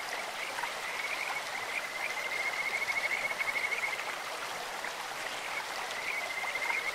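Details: Stream-dwelling Kajika frog: a sweet, high whistle breaks into a fast pulsed trill for about two seconds, then a second shorter phrase follows, all over continuous rushing stream noise.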